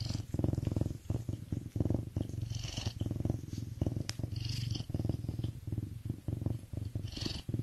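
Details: A serval purrs steadily, a deep rumbling pulse, appearing to feel good and content.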